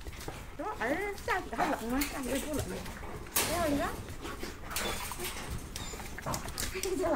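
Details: Big dogs in a snowy rural yard, checked after an overnight snowfall left their shelter open; a run of high wavering whines and yips, mixed with a man talking and shuffling noise.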